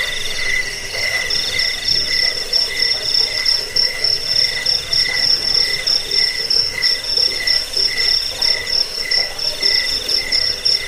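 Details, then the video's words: Recorded crickets offered to chase away rats, help with sleeplessness and train birds to sing: shrill pulsed chirping, about one and a half pulses a second, over a constant high ringing tone, with a busy chorus behind. "Suara jangkik pengusir tikus pengantar tidur"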